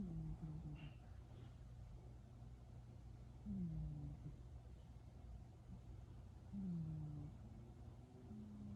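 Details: Domestic cat just woken from sleep and still purring, shifting from snoring to purring. Low rumbling breaths, each with a short falling tone, return about every three seconds over a steady low hum.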